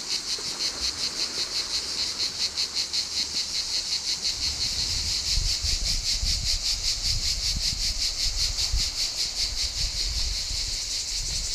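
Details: Summer cicadas hidden in pine trees at Saint-Mandrier-sur-Mer, near Toulon, on a coastal walk, taking turns in a deafening concert: a dense, hissing high-pitched chorus pulsing rapidly and evenly, about 160 beats a minute, with low rumbling and footsteps beneath.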